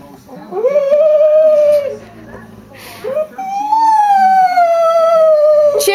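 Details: Casey, a female pet dog indoors, makes funny, drawn-out vocal sounds likened to Chewbacca: a rising whine that holds steady for over a second, a brief pause, then a longer wavering moan that slowly falls, with faint human voices.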